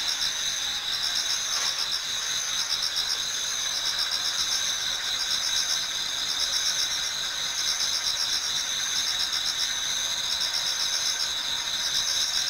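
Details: Many autumn insects singing together in a Japanese garden toward dawn: steady high-pitched chirring bands layered over one another, with fast pulsed trills repeating about four times a second and no other sounds standing out.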